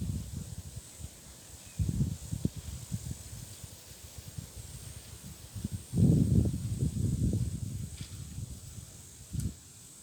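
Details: Nubian goat kids snoring after playing: soft, low rumbling breaths in irregular bursts, with a louder, longer stretch of snoring around the middle and a steady faint hiss behind.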